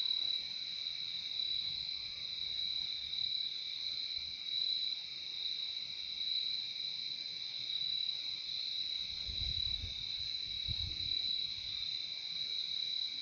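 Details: Dense continuous cricket chorus from a calming nature recording, high and even without pause, with faint low thumps later on.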